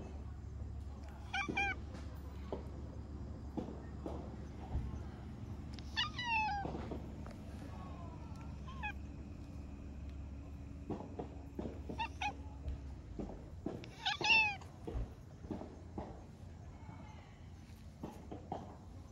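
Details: Stray orange tabby cat, met again after a long time, calls a cute "nya-nya" meow: repeated short downward-bending mews in small bursts, with a low hum and occasional voices in the background.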